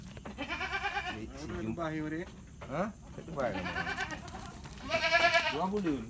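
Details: Goats in a fattening pen on a farm in Lhokseumawe, Aceh, Indonesia, fed concentrate, green grass and tofu dregs; several quavering, wavering bleats, some rising and falling, overlapping with a man talking nearby.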